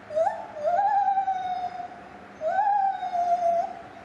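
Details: Lar gibbon singing at Safaripark Beekse Bergen, 9 July 2021: two long, pure, flute-like hoots, each starting with a quick upward slide and then holding a steady pitch for over a second.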